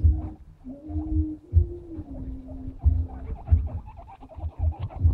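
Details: Pet guinea pigs chatting among themselves, giving drawn-out squealing whines that dip and level off, with regular low rumbling thumps roughly every second and scattered short squeaks toward the end.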